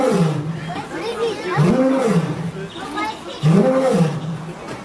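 A lion gives deep, rising-and-falling roaring moans, repeated in a rough series.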